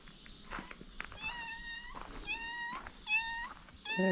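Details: Stray cats on a Moroccan street greet their daily food server with a run of clear, drawn-out meows, each level or slightly falling, repeated about once a second, with soft footsteps and outdoor noise behind.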